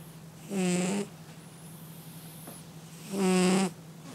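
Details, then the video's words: Domestic cat asleep and snoring, two drawn-out nasal wheezes about half a second long with a squeaky whistled edge, separated by quiet breathing, with a steady low hum behind. "Котэ храпит)))"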